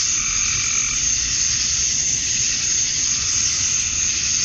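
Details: Male cicadas in Georgia, USA, calling at summer dusk to attract females. Loud, constant, piercing high buzzing hangs in a flat, continuous sheet of sound with a soft low rumble below.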